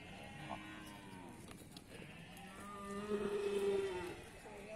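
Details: Cattle at the Pasar Wage Bumiayu livestock market in Indonesia: a low drawn-out moo that rises into a louder tonal bellow, amid crowd chatter, a man calling out warnings and market bustle.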